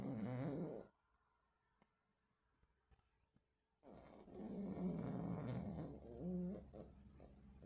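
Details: Sleeping, dreaming pet dog indoors, 26 August 2024: a low snorting snore, a quiet pause, then a longer rumbling, gurgling stretch of breathing noise.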